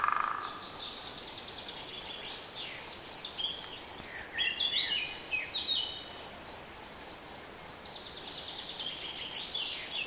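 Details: Cricket recorded in the Nagyerdő woodland of Debrecen, Hungary: loud, even, high-pitched chirps in a steady pulse of about four per second, with faint bird calls in the background.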